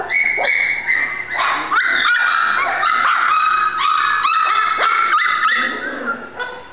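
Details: Whining yips from a female Golden Retriever puppy, a busy run of short, high, overlapping whimpers coming about three per second with uneven spacing and hardly any pause.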